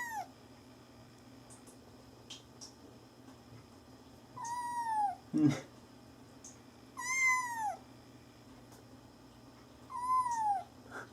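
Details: A kitten meowing indoors: three clear, drawn-out meows with falling pitch, spaced a few seconds apart, plus a short thump and faint background hum.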